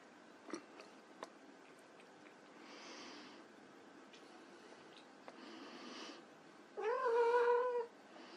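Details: White Persian kittens playing: a stretch of quiet rustles and small taps ends in one loud, steady, drawn-out meow held for about a second.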